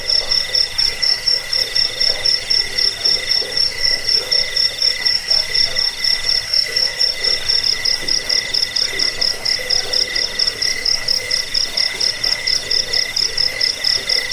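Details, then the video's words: Crickets chirping, offered as a sound to drive away rats, lull listeners to sleep and train songbirds; steady high, shrill pulsed trilling in rapid bursts about twice a second, with a fainter lower ringing tone beneath, continuous throughout. "Suara jangkik pengusir tikus pengantar tidur"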